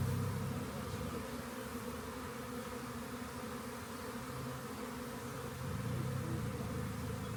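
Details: Swarm of honey bees found by a rain gauge, later collected: a steady, dense droning hum with layered low tones, holding constant throughout and swelling slightly near the end.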